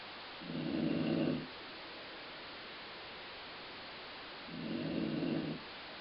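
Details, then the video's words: Two drawn-out, grumbling snores from Colline the dog, about four seconds apart, each roughly a second long, low and rasping like a rumbling stomach, with quiet breathing gaps between. "Colline Snoring"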